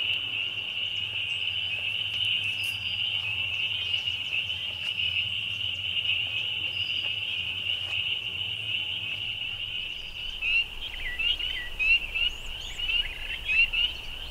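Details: A really loud bunch of spring peepers in full chorus, countless high peeps merging into a steady shrill band, with individual rising whistles standing out near the end over a low background hum.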